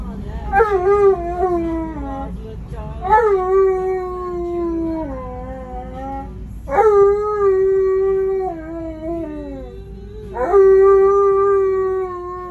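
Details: An Alaskan Malamute, acting up while riding in a vehicle, howls in long, wavering, harmonic-rich notes, each starting with a sharp rise.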